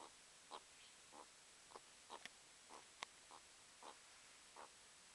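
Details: Pet meerkat indoors watching birds outside and playfighting, giving short soft mid-pitched calls repeated about every half second, each a brief tonal note with faint higher overtones, in a quiet room with light hiss.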